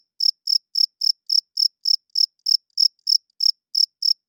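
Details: High, crisp cricket chirps at night, evenly repeated around three to four times per second, nothing else audible.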